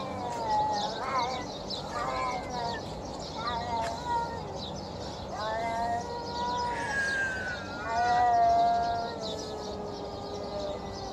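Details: Hungry stray feral cats being fed outdoors, making weird hungry noises: a string of wavering, rising and falling meows repeated every second or two, with a person speaking to them and steady outdoor background hiss.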